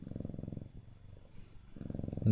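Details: Purring Siamese cat, a deep, fluttering rumble that fades into a soft lull midway and then returns strongly at the close.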